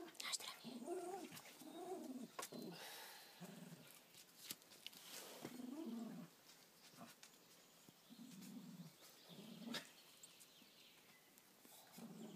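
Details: Dogs Sára and Ceasar in a scuffle that Sára wins. Low, harmonic growling and whining bursts come in uneven runs between sharp clicks and thumps, with a soft hiss underneath.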